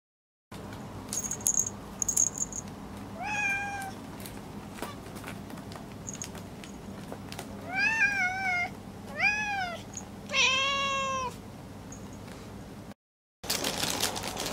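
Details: Four pet cats indoors, drawn to a strange toy bought at a discount shop; a sleeping cat named Kuritan gets up. Several harmonic meows, some rising then falling, others short and bent, come in bursts between quiet stretches with faint clicking.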